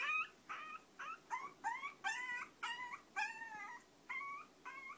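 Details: Long-coat chihuahua pair Choco and Maron in their daily life, giving a steady run of about ten short, high, slightly rising whimpers, roughly two per second, over a soft background hiss.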